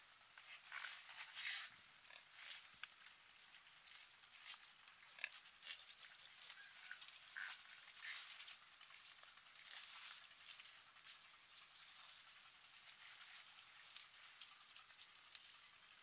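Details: Wild boar, filmed while breastfeeding, give soft, breathy grunts and brief squeals in irregular bursts.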